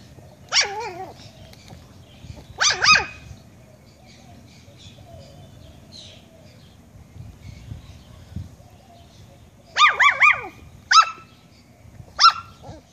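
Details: Pet puppy barking at a fish head: a few sharp, high yelping barks spaced a couple of seconds apart, some with a quick rising-falling whine, then a tight cluster of three to four yaps near the end; low background rumble.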